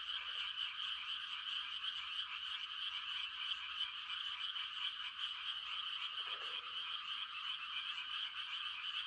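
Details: Quiet country night with a mass of frogs giving mating calls in rice-planting season: constant high, rattling trills forming an even chorus, with one lower croak near six seconds.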